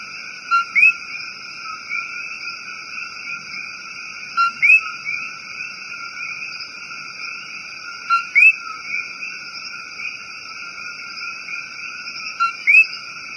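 A coqui gives its two-note "co-qui" call, a short low note followed by a higher rising one.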